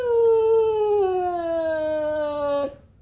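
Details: A Siberian husky wanting a walk gives one sustained, clear, slightly falling whine lasting over two seconds, steady and tonal, ending abruptly, inside a room.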